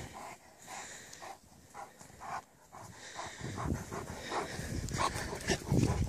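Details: A playful 9-month-old Alaskan Malamute male, well over 100 lbs, plays in snow, panting in quick, breathy bursts, about four per second.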